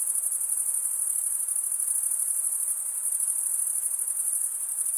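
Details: Crickets chirping steadily, the males stridulating by running one wing along the toothed vein of the other; a dense, continuous high-pitched trill with a fine pulsing texture and no other sounds.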